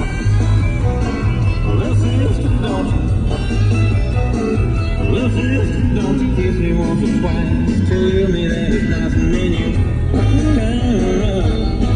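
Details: Rock-style music with guitar and a singing voice fills the whole recording, with no animal sounds.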